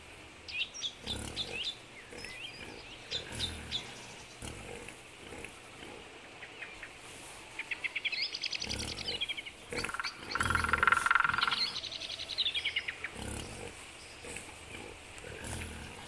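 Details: Wild boars, adults with young piglets, in Belovezhskaya Pushcha, Belarus, on 4 March 2014. Harsh, harmonic, drawn-out squeals swell and fade over several seconds midway, with soft grunting and rustling before, and thin bird chirps in the background.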